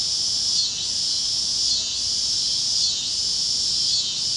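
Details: Cicadas chirping at sunset over Kansas fields on the great plains on a warm evening: a dense, steady high buzzing chorus that swells and dips about once a second, with no other clear sounds.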